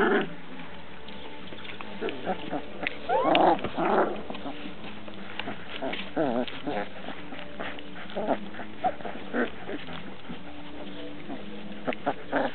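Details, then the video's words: Several Transylvanian Hound puppies give scattered wavering whines and yelps, a louder cluster of rising whimpers near the start and middle, with soft rustling and faint voices between. "erdélyi kopó kiskutyák"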